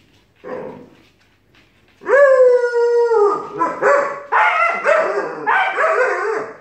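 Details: Alaskan Malamute puppy and Siberian Husky arguing: after a faint grumble, a long steady howl holds for a second, then a series of choppy, rising-and-falling talking yowls follow in quick succession.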